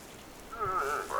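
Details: In September rutting season, in the forests and moors of Saaremaa island on the Baltic, a moose cow gives a short, nasal, wavering moan after a quiet start: her mating call signalling readiness to a bull.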